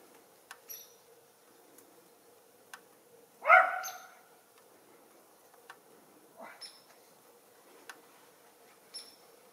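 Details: A single loud, abrupt bark from one of a pair of young Schipperkes enjoying snow and deer in their backyard, set among quiet background ticks and a softer short sound a few seconds later.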